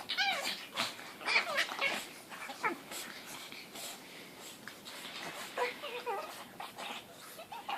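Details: Two pug puppies, 4 months and 2 months old, playing together give high, squeaky, cat-like whines mixed with snorty grunts in irregular bursts.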